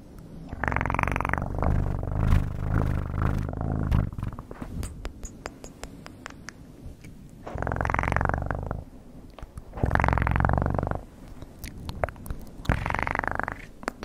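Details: Domestic cat purring for ASMR, recorded very close: low rumbling purr in uneven bursts, with louder breathy surges roughly every two seconds and scattered clicks between them.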